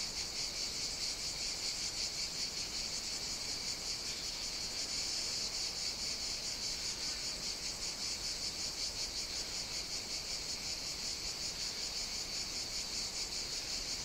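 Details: Cicada song recorded on Evia, Greece, during hot summer days: a constant piercing buzz, many insects blending into one steady high hum with fine rhythmic throbbing.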